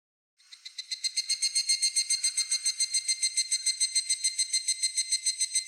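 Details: Evening cicada (higurashi), a Japanese summer cicada: a clear, ringing, tonal song of rapid pulses, about three to four per second, that swells in loudness over the first second and then keeps a steady, even rhythm.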